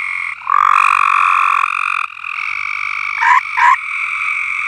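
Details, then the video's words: Chorus of frogs singing on a farm, overlapping long buzzy trills in steady bands, with two short loud rising notes near the end standing out from the drone. "Frogs Singing at AldermanFarms"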